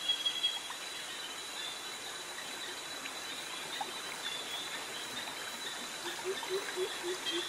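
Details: Jungle insects in Krabi, Thailand, among cicadas and crickets near mangroves. Steady high ringing tones drone continuously over a soft hiss, with faint scattered chirps and a few low notes toward the end.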